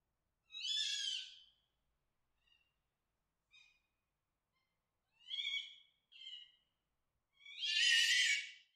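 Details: A fox gives harsh, raspy screams about a second long, separated by pauses and a few short yelps, described as a mating sound.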